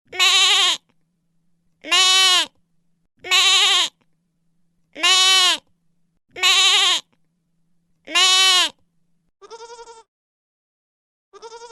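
A goat bleats repeatedly, loud wavering nasal cries spaced about every two seconds.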